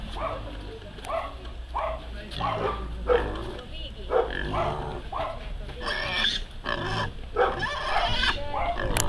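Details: Weaned piglets being given out one apiece to 25 people by mayor Imre Szirbik, Friday 7 a.m. outside a Szentes feed shop, Hungary; short grunts repeat about every second, then higher squeals near the end, with people talking throughout.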